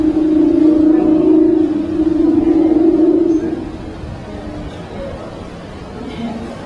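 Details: An amorous male leopard seal sings underwater to a nearby female in breeding season, likely to attract a mate: a low, steady, trilling hum that holds for seconds, then fades; Leopard seal.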